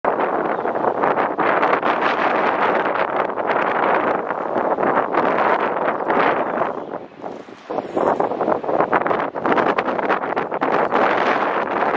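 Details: Heavy wind buffets the microphone throughout, with rustling and roaring gusts and a brief lull near the middle; no animal voice can be picked out.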